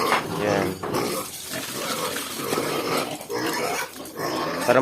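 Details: Many native piglets, about two weeks old, clamour at feeding time on a farm, giving shrill, harmonic squeals that overlap without pause while a man speaks nearby.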